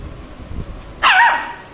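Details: A Shih Tzu puppy, angry at being recorded, is silent at first, then gives a single loud, high, nasal bark with a wobbling, whiny tone, an irritated protest rather than a growl.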